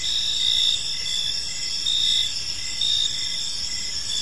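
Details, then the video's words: Park crickets at evening produce a continuous high-pitched trill with gentle swells every second or so, several overlapping callers, little else audible. "Cricket Sounds in a Peaceful Park"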